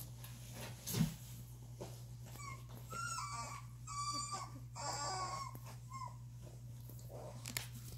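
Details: Young Doberman puppies, two and a half weeks old, let out drawn-out, thin whines that waver and bend in pitch, several in a row mid-clip, after a soft thump, with a constant low electrical hum underneath.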